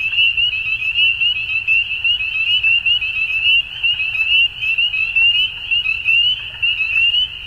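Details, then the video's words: Many frogs calling together at dusk, a bright, continuous trilling band punctuated by brief dips and swells about once a second, faint low background noise. "Frogs At Dusk"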